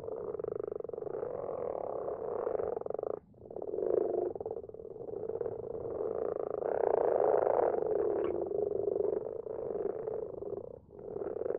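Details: Nighttime chorus of several common frogs in a garden pond: continuous low, purring croaks overlapping, with two brief lulls where the chorus pauses and restarts, louder in the second half.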